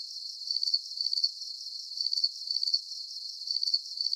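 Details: Steady cricket chirping at high pitch, the trilled bursts coming in close pairs at an even pace with brief quiet gaps between, set against a soft background hiss and no other sounds.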